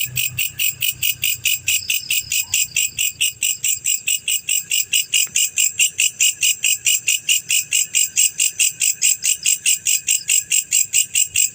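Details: Male black cricket (jangkrik jantan) calling steadily: bright pulsed chirps repeated about 140 times a minute in a regular rhythm, with harmonics high up and a faint low hum in the first two seconds.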